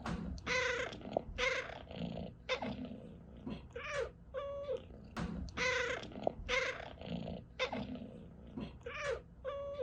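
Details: Pet cat making bursts of short, harmonic chirping calls, some rough and broken, others cleaner and tonal, in quick uneven groups with brief pauses between them.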